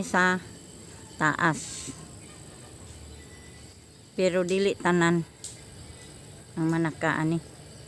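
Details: Goats calling at their evening feeding time: three bursts of wavering, quavering bleats with a tremulous, nasal quality, separated by quiet pauses. Faint insect hum sits in the background.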